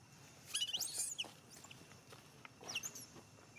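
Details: Baby monkey named Rainbow throwing a tantrum after being bitten and attacked by a male monkey; shrill, high squealing screeches that rise and fall in two bursts, the first near the start and the second near the end, with quieter gaps between.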